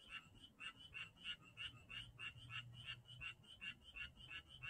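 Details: Janghyeon-dong frogs croaking in fast succession, short buzzy pulses about three per second that overlap unevenly, over a faint low steady hum.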